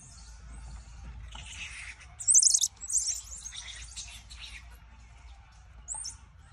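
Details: Squirrel monkey giving thin, high-pitched chirps and squeaky peeps. A loud burst of rapid chirping comes midway, followed by a few softer twitters and a single bright peep near the end, over a faint low hum.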